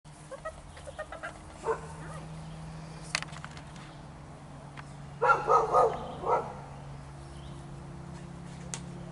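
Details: Sable male German shepherd puppy, six weeks old, during a Volhard puppy test: a few short, sharp barks, one near two seconds and a cluster of three or four around five to six seconds, over a steady low hum and faint knocks.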